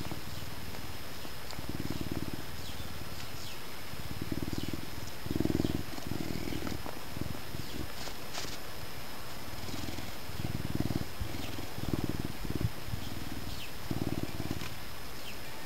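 A Canada lynx gives a deep, rumbling purr in rhythmic pulses roughly every second.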